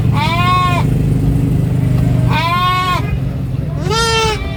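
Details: Baby goat screaming on a farm: three drawn-out, quavering bleats roughly every two seconds, the last one lower and rising, over a steady low hum.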